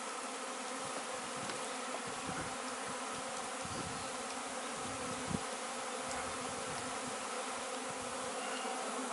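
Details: Honey bee swarm that had settled next door, being coaxed into a cardboard box and moved to a new hive on 26 May 2013: a steady, dense droning hum with layered tones, unbroken throughout, with a few faint knocks.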